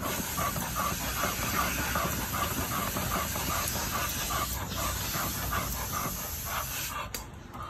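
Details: Rapid, even panting from Vasco, a young American Pit Bull Terrier aged seven months, mid-exercise; steady breath pulses about two and a half per second beneath constant hissing noise that fades near the end.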